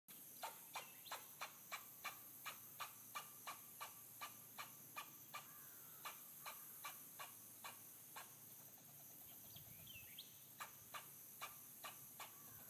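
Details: A black fox squirrel in the Everglades gives a steady series of sharp, dry chucks, about three each second.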